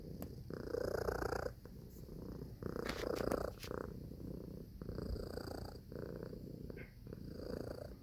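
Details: Purring house cat, a rough, low rumble pulsing with its breathing in five or six swells, with a few faint ticks in the middle.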